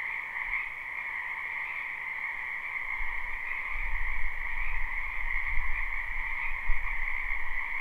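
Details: Numerous frogs croaking in a spring wetland near a house, live recording: a constant high trilling chorus over a lower band, joined after three seconds by a low rumbling noise that swells and dips beneath the calls.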